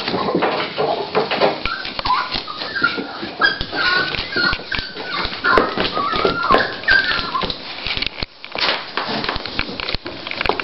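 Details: Female Toy Pinscher Dolly, beginning to whelp, gives scattered high wavering whines across the stretch, mixed with frequent tapping, rustling and clicking noises.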